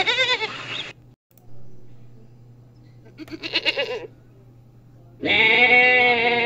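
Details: Goat bleats in a mix of forms: a short harmonic call, a trembling quavering bleat midway, then a long steady loud bleat to close, with a low hum in between.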